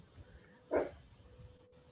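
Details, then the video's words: A pet chihuahua barks once, a short sharp yap in the background during a virtual panel discussion about the Phoenix Mural Festival, with quiet room hum around it. "And you can hear my chihuahua barking in the background."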